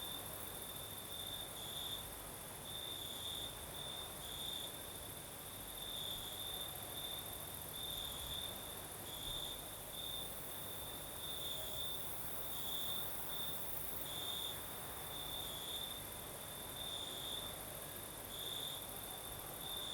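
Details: Crickets singing at night in the south of Crimea with a night breeze: a steady high chirring band with pulsing bursts, plus a fainter very high continuous shrill from other insects over soft wind hiss.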